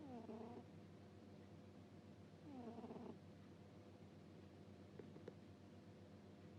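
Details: Cat snoring in sleep with a 'puu-puu' sound: two nasal, descending, whistly snores early on, then quiet breathing and a couple of small clicks, over a steady low room hum.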